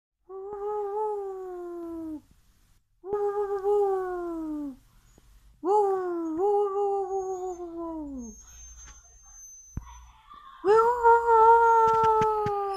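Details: Siberian Husky howling: smooth, sustained tonal howls that slide slowly downward, in several drawn-out phrases of one to two seconds separated by short pauses, the final phrase higher and stronger, with faint low background noise.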